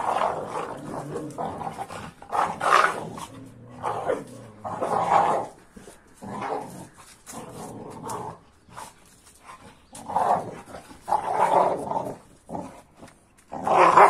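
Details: Two dogs, an AmStaff and a Kuvasz, wrestle in rough play; throaty growls and snarling barks come in irregular bursts, roughly two dozen a minute, with short pauses between them.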